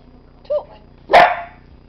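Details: Black and tan Dachshund "talking" on command, a pet dog giving one short yelping bark-like vocalization after a faint squeaky whine, with a person's coaxing voice around it.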